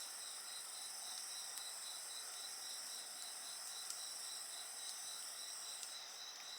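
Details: Dense insect chorus: a quick, regular pulsing trill over several steady piercing tones, with soft intermittent wood-fire crackles throughout.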